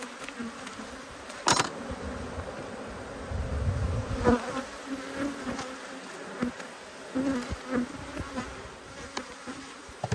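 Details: Honey bees from two hives, cross at being inspected, give a steady low buzzing hum. Sharp clicks and knocks from the hive work break in repeatedly, with a dull thump near the middle.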